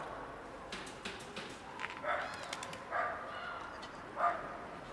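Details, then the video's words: Short, fairly faint meows from a hungry kitten that has arrived where a cat sits on a car; three separated harmonic cries in the second half, preceded by light clicks and outdoor noise. "another hungry kitten shows up"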